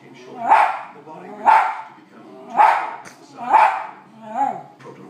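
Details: West Highland White Terrier reacting to dogs on a television: four loud, evenly spaced barks about one per second, followed by a softer fifth, over faint television sound.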